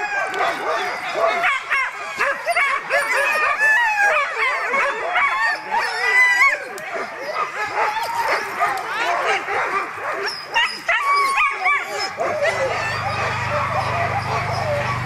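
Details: Alaskan huskies at a September 2009 sled dog gathering in Målselv, Norway: many dogs barking and yelping together in a steady, crowded clamour, with an engine rumble starting near the end.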